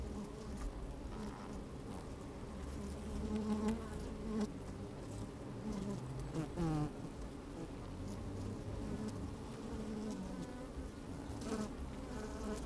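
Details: Honey bees at work in a hive opened on a sunny day, heard through a microphone inside; a constant deep hum, a few brief buzzes near three and a half seconds, and a wavering, falling buzz around six and a half seconds.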